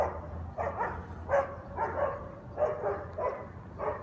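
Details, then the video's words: Guard dogs barking nonstop at 7am on a Sunday on Conti Street, New Orleans, loud enough to wake neighbours; short harsh barks repeat in an irregular run, roughly six bursts over a few seconds, with a steady low hum beneath. "Guard Dogs Barking Noise Violation"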